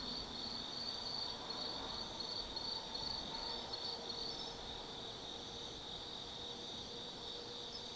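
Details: Autumn insects calling at night in the forest at Tsukimi no Mori, Kaizu, Gifu, Japan, overlooking the Nobi Plain from 180 m up: a steady high shrill trill with pulsing bands, several callers overlapping continuously, faint distant hum beneath.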